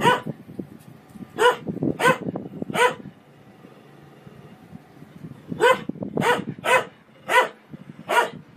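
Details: Pet dog barking in two bursts: three separate barks, a pause, then a quicker run of five or six sharp barks, with low background rumble between them.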